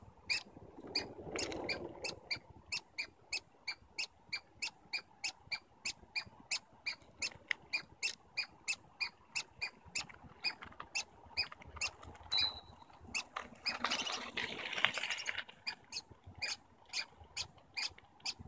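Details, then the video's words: Communicating squirrels in Stanley Park call with a long run of rapid high squeaks, about two per second, steady throughout, over a low rustling background with a brief louder noise burst midway. "Stanley Park Squirrels Communicating"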